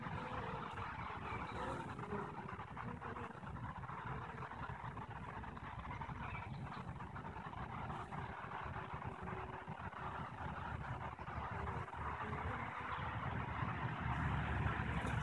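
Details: Kept honey bee colony on 21 April 2015, the day after eggs for three queens were added, heard from the closed hive: an even, unbroken buzzing drone with a faint tonal line, steady throughout.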